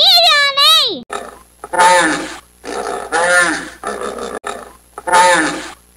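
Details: Hippopotamus grunting: loud, rough honking bursts with a falling tone, each about a second long, repeated four times after a brief spoken word.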